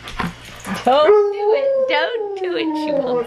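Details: Alaskan Malamute howling along indoors while its owner plays harmonica; after a few spoken words, one long, steady, wavering howl rises and then slowly sinks, sustained for over two seconds.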